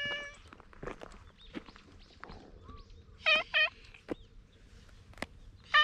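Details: Unusually patterned stray cat appealing in its own cat language, filmed on a GoPro HERO8: two short, loud, bent meows in quick succession, then another clipped meow at the end, over faint outdoor ambience and scattered clicks.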